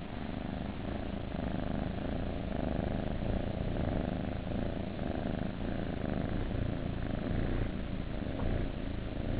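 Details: Kittens in a nursery purring; a continuous low, rumbling throb with dense pulsing texture, steady throughout with no breaks.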